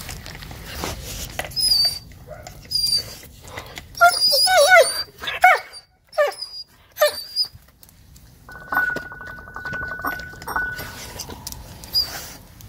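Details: Lone dog tucking into unfamiliar offal rather than porridge; crisp wet chewing clicks, a burst of high squeaky whimper-like sweeps around four to five seconds, a brief pause, then softer munching with a steady faint tone.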